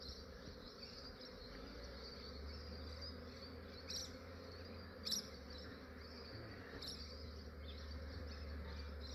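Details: Massive honey bee swarm in Australia being captured by a beekeeper early in the morning, before the day warms and the bees grow active; a dense, steady droning hum with a low throb underneath and a few brief sharper ticks.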